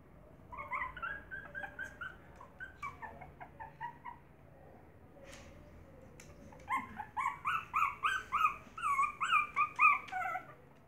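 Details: Maltese puppies with their mother, high yipping whimpers in short repeated bursts, a quieter run early then a louder rapid series of squeaky cries near the end.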